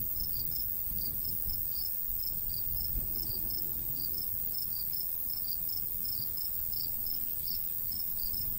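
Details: Crickets chirp steadily in a summertime golden wheat field in the countryside; a continuous stream of short, shrill pulses rides above low, breezy wind noise.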